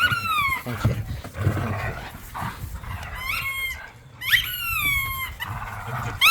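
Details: Tug of war between pit bulls and a Malinois romping across a yard: throaty growling and snarling in the first two seconds, then bright, rising squeaks from a toy in quick clusters, with a short laugh near the end.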